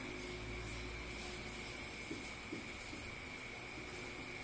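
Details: Quiet indoor hiss with a steady high hum and a few faint soft clicks, and no animal sound.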